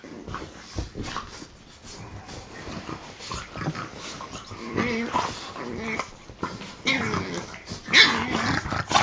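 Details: Several French bulldogs play-biting, three ganging up on one; irregular snorts and low growly grunts, roughly one a second, louder toward the end, with occasional human remarks.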